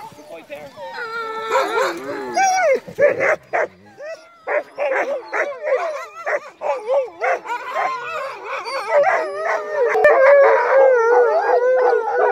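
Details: Crossbred husky mixes on a night dog sled run in heavy snow, a team giving overlapping wavering howls and whining yelps, then rapid bursts of excited barking building into a continuous chorus of several dogs.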